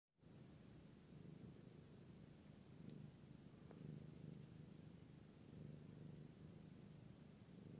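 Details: British Shorthair cat purring: a steady, low continuous rumble that holds evenly for about eight seconds with almost no other sound.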